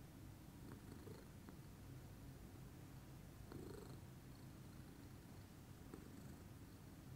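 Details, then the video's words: Morning purr of a calm lilac Scottish Fold cat, an unbroken gentle rumbling drone, soft and steady, with a few faint ticks and shuffling sounds. "calming purr meditation"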